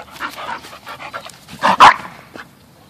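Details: Two rescued Bull Terriers, nine-month-old puppy Peyton and eleven-year-old Quigley, playing and rolling about. Soft breathy pants lead into one loud, sharp bark near the end, then a fading huff.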